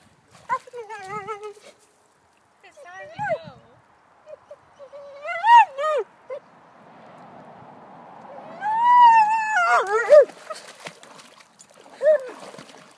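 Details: German Shepherd protesting in the water when it's time to go, giving bursts of wavering, yelping whines that build into a longer howling moan, while a person repeatedly calls it out of the water.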